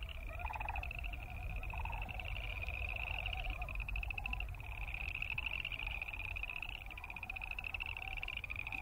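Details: Boreal chorus frogs croaking together: a dense stream of high, rapidly pulsed trills rising and overlapping, with a lower pulsed trill beneath and steady low-pitched background noise.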